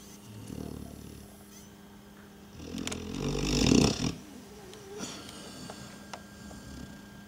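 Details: Pet dog asleep on a boot, snoring: a faint rasping breath early on, then one louder, drawn-out, rumbling snore swelling and fading over about a second and a half, followed by soft breathing noise.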